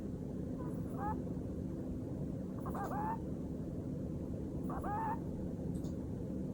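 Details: Pet Netherland Dwarf rabbit asleep indoors, recorded by a camera left alone beside it; soft snoring breaths with small squeaky, whistling notes recurring about every two seconds over a constant steady hiss.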